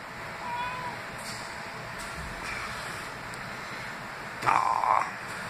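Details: Reuben, a normally quiet house cat, meows: a faint short mew early on, then a loud, clear meow of about half a second near the end, over steady indoor background hiss and soft sounds from his owner.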